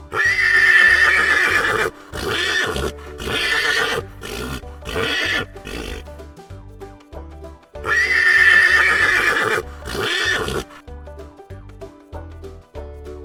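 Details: Horse on a farm neighing over steady background music: two long, shaky, quavering whinnies of about two seconds each, near the start and again around eight seconds, with shorter harsh bursts between them.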